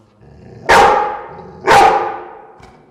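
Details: Dogs in a room, recorded indoors: two loud, harsh, snarling bursts about one second apart. Each starts abruptly and fades into a reverberant tail. A faint low rumble sits underneath.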